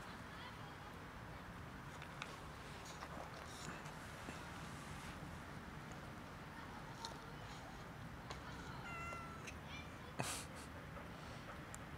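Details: Many cats gathering for dinner outdoors; a faint, short meow with a few thin harmonic tones around nine seconds, over steady background hiss, with a sharp click just after ten seconds.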